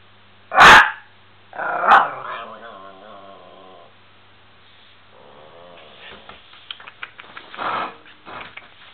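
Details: A Miniature Pinscher named Bubi gives two loud sharp barks, then a harmonic, wavering growl lasting about two seconds, followed by softer grumbling and scattered clicks and small barks.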